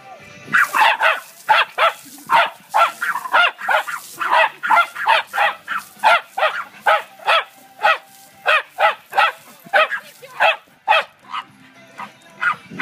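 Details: Patterdale Terrier chasing water from a hose, giving a fast run of sharp barks, roughly two per second, steady and evenly spaced for the whole stretch with only short gaps between them.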